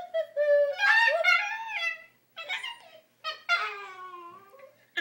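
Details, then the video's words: Pet dog making an odd, drawn-out whining noise when its owners try to make it sit still; three tonal, yodel-like wails, the first rising then falling, separated by short pauses in a small room. "Dog making funny noise"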